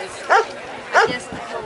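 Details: Working-line German Shepherd police K-9 dog showing control during a police procedure demonstration at a dog fair in Anthem, Las Vegas, Nevada; two sharp, short barks about two-thirds of a second apart, with a man giving commands nearby.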